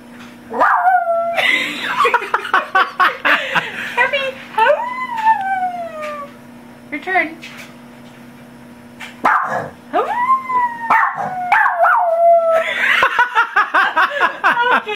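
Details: Cappie the dog howling, prompted by a police siren recording and then on command. Sliding, drawn-out howls and short yips come in bursts between pauses, mixed with human voices.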